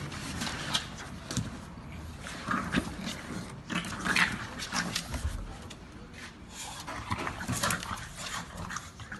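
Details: English Bulldog making rough, breathy snorts and panting huffs in loose, irregular bursts through the clip, with faint voices in the background.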